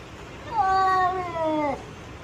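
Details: Cat during a fight giving a single drawn-out, wavering tonal yowl that lasts over a second, holding steady before sliding downward at the end, indoors with no other clear sounds.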